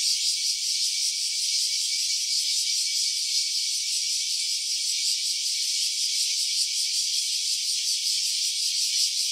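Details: A steady, high-pitched cicada drone is captured in stereo on a smartphone. The unbroken hissing buzz carries a subtle rhythmic flutter and keeps an even loudness from start to finish.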